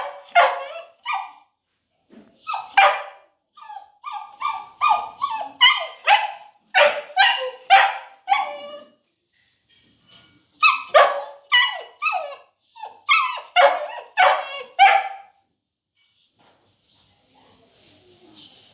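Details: Boerboel named Cuddy giving bursts of loud, harsh barks in quick runs, with a pause of about two seconds in the middle before another flurry; short whimpers between the barks and near the end.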